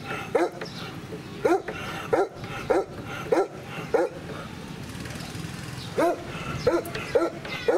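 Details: Ash, a 13-year-old former sheepdog at Comorebi no Mori Ibaraido farm park in Ibaraki, Japan, filmed 2 June 2018, gives a run of sharp barks roughly every half second to second, a short pause, then more barks; faint voices and ambient noise behind.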